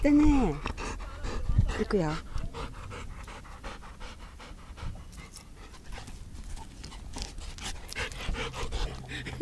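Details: Dog named Hiyori, recorded 25 September 2017 after working hard, panting in quick, steady breathy puffs, roughly three per second, with people talking in Spanish over the opening seconds.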